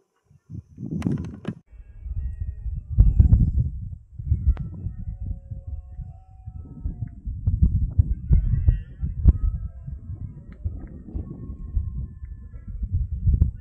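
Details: Red deer during the berrea (rut) in the Sierra de Andújar, 10 September 2024, around five in the afternoon: deep, low rumbling roars rising and fading in bursts, with faint thin bird chirps above.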